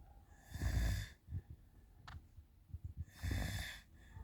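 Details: Alper, a cat, snoring at night around 2 a.m. while kittens run about: two soft, airy snoring breaths about two and a half seconds apart, low and breathy, with faint rustles and small thumps in a quiet room.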